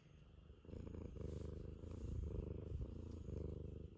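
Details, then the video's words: Ragamuffin cat seeking affection, purring in a low, rapid, even rumble that swells in slow waves of breathing, roughly one cycle per second. "甘える時間を見つけて甘える猫 ラガマフィンcat is affectionate.Ragamuffin."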